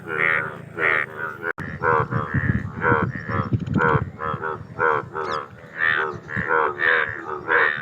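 Indian bullfrogs give loud, nasal, harmonic croaks, repeated about once a second.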